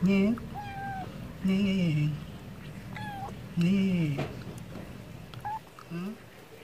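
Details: A stray cat reacting to wet food, meowing to ask for food: several drawn-out meows that rise and then fall, with strong harmonics, each about half a second to a second long, separated by short pauses.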